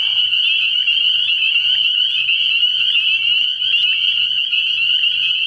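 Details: Early-spring night chorus of spring peepers at a frog pond, a continuous high-pitched ringing made of many overlapping peeps, a faint low rhythmic thrum beneath it.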